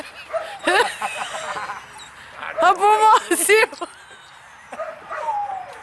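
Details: Eight-week-old puppies at play, litter of two males and two females: loud, drawn-out whining yelps that rise and fall, then fade to a softer sliding whine.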